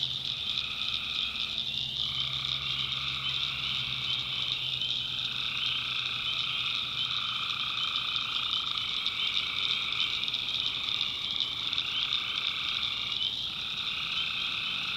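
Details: A chorus of tree frogs at night in a North Carolina swamp: steady high trills sound without pause while a lower voice drops out and returns in short gaps every few seconds, over a quiet low hum.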